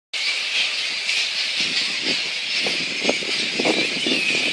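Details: Flying-fox megabats recorded at Boonah, Queensland, Australia, on 02/01/2014: a dense, unbroken wall of high, overlapping screeches and squeals, with scattered lower crackling bursts in the second half.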